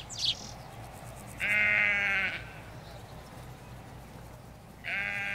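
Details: Sheep bleating in a field of ewes and lambs in the Hampshire countryside: a long, steady, harmonic bleat held almost a second, then a second bleat begins near the end, with a short bird chirp just before the first.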